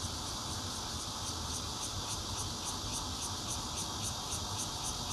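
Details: Bear cicadas recorded 16 June 2013 from a fourth-floor home in Zhongli, Taiwan, on a Nokia Lumia 820: a steady, hissing high drone pulsing in quick beats about three to four per second, over a low background rumble.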